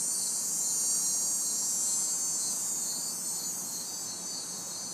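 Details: Crickets and cicadas in a backyard on a hot, humid summer night in the city, a dense high continuous shimmer with a steady pulsing chirp band beneath, distant traffic adding faint white noise.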